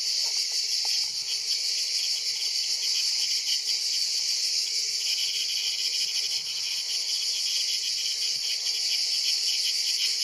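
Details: Preyed on by a Mantis religiosa, an ash cicada (Cicada orni) keeps up a dense, high, rasping drone for the whole stretch, dipping only slightly around the midpoint, with scattered faint low knocks beneath.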